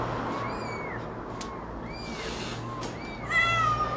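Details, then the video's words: Cat and kitten during feeding time. Several short, high, arched meows, each rising then falling, come in a quick series. A longer, brighter, wavering meow follows near the end over a steady low hum. "Cat and kitten feeding"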